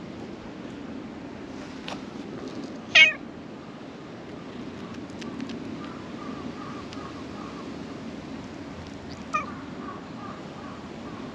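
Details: Black cat crawling out from under a shrine floor to be stroked lets out one sharp, bright meow near the three-second mark, then a softer brief call later over a constant low rumble.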